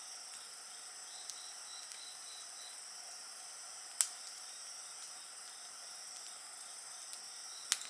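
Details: Continuous high insect trilling and a faint rapid pulsed chirp, accompanied by a crackling bonfire with a few loud sharp pops, one at about four seconds and another at the end.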